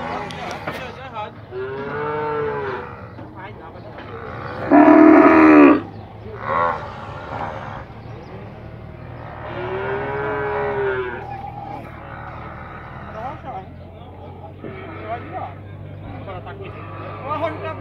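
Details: Nelore cattle at the livestock fair in Tabira, Pernambuco, Brazil, arriving at the corral; drawn-out bellowing moos rise and fall, one loud harsh bellow midway, low steady hum beneath and people talking nearby.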